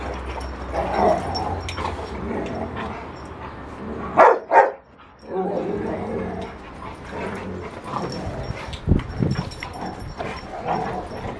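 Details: A Rottweiler in rough play gives low growls and rough, throaty vocal bursts, with a couple of sharper barks.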